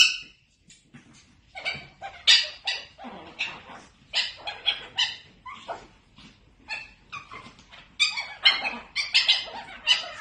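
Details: Chiweenie puppies yapping: a rapid, irregular string of shrill, high yips and squeaky barks that continues almost without pause, varying in loudness.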